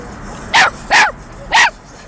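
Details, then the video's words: Chihuahua mix puppy barking and 'talking' along to a song playing in a car while dancing; three short high yapping barks about half a second apart, over low car background noise. "Puppy Dog Boston Dancing & barking along to song playing in the car!"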